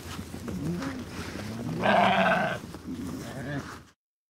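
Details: Sheep giving one short, quavering bleat of under a second, with fainter bleats and low background noise before and after.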